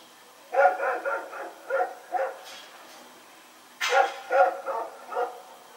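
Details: Dog running around at night, recorded on 21 September 2018, giving two bursts of sharp barks, about five quick barks, a pause of over a second, then four or five more, with a quiet background.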